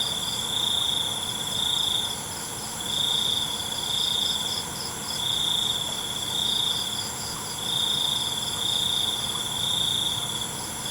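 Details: Crickets at night: a high, steady pulsed trill delivered in bursts of about a second, separated by short pauses, with a faint buzzy layer above and a soft hiss of background noise.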